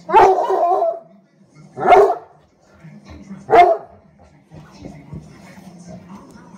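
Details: A 1-year-old, 95 lb male Redbone Coonhound in Syracuse, NY, in the morning gives three loud, deep barks about a second and a half apart while barking at his bone.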